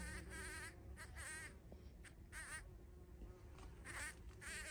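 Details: Bumblebee buzzing at a feeding place on 14 June 2023. Short droning buzzes come and go as it flies, with a wavering pitch, separated by brief gaps, over steady low background rumble.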